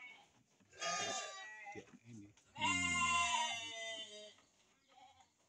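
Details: Farm sheep raised for breeding, with lambs present: a short bleat near one second, then a long, strained, vibrato bleat lasting over a second. Softer trailing calls and low background voices are also heard.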